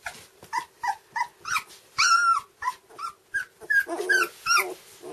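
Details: Hungry two-week-old red Standard Poodle puppies, whose eyes have just opened, give a rapid series of high, squeaky whimpers and squeals.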